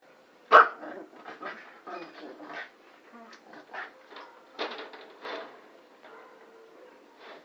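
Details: Brown toy poodle while playing, giving a sharp loud bark near the start followed by a run of soft short whines, grunts and yaps spread over several seconds.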